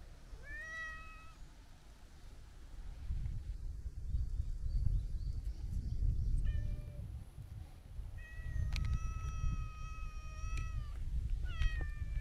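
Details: Chatty long-haired brown tabby-and-white cat relaxing by the seaside while being petted; several clear drawn-out meows, some rising then falling, over steady low surf rumble and outdoor noise.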